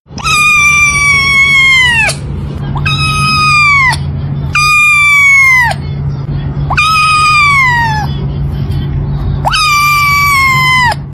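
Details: Kittens from a cute cat compilation: a loud, drawn-out meow repeated five times in about eleven seconds, each call bright and slightly sliding downward, over a steady low hum.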